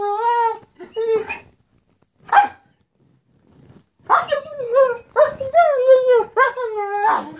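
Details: Male German Shepherd begging for his toy: drawn-out, tonal whines that rise and fall, two short whimpers, a brief sharp yelp near the middle, then a longer run of wavering, pleading whines after a pause.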